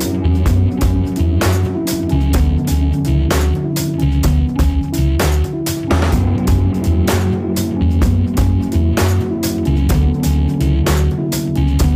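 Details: Loud rhythmic music with a steady pounding bass beat and plucked string tones throughout; no animal voice stands out.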